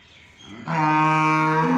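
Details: Pure Jersey cow on a farm, a single loud sustained moo with a steady harmonic tone holding for over a second after a quieter lead-in.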